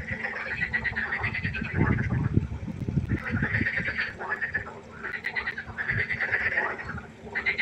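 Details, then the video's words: Frog chorus at night by a pond: rattling, pulsed croaks in bursts of one to two seconds from several overlapping callers, over a steady low rumble and some thumping background noise. "1 Stunde Froschkonzert. Frosch Geräusche quaken. Frösche Geräusche Konzert"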